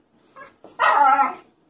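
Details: Female Staffordshire Bull Terrier reacting when asked to go for walkies, giving one short rising yelping whine after a faint softer squeak, with a man's voice speaking just before and after.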